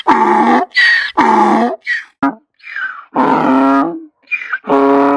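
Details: Donkey braying, alternating harsh harmonic hee and haw phrases of about half a second each, low and higher pitched in turn, repeated in quick succession with short gaps.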